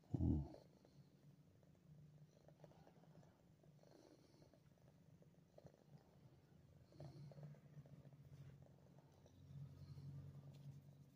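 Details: Pet cat, a nine-month-old female, in Ottawa, Canada, December 28, 2022, purring: a brief loud thump at the start, then a continuous low, even rumble that swells louder in the final seconds.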